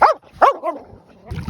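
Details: A sleeping Finnish Lapphund, dreaming, gives two short, sharp, rising-then-falling yips in quick succession, then quieter muffled whines as a soft rustle follows.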